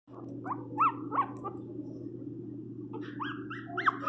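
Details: Pinscher named Teco crying loudly while being given flea medicine indoors: high, arching yelps and whines in short bursts, with a steady low hum beneath and a quieter stretch midway before more rapid rising cries.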